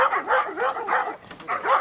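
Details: A female German Wirehaired Pointer gives rapid, sharp, harsh barks, several per second, at a mechanical training bear at the Koria hunting fair in 2011. It is her second encounter after a few hours' break, advancing from behind and dodging when face-to-face.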